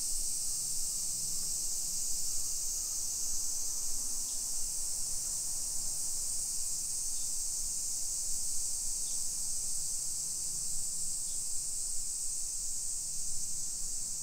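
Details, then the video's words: Midsummer cicadas in a modern residential area of Nisshin, about 20 km from downtown Nagoya, Japan, on 28 July 2021 at 1 PM: a loud, constant high buzzing drone, with brief faint chirps and a low vehicle-like rumble below. "Summer Cicadas Sounds"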